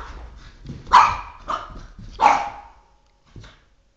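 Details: Pet Boston Terrier, three and a half years old, barking at a flashlight it is fixated on; three irregular barks, the first and last loudest, followed by a faint short yip and some low background shuffling.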